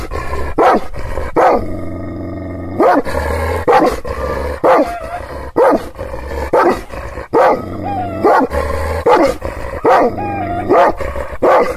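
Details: Kangal shepherd dogs in Aksaray, Anatolia, reacting angrily to strangers they have not seen before: deep, harsh barks repeated about once a second, with a low steady hum underneath.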